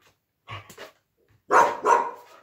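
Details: While playing with her plush puppy, a female Siberian Husky lets out a quick double bark, a pause, then two louder, throaty, slightly wavering barks in close succession.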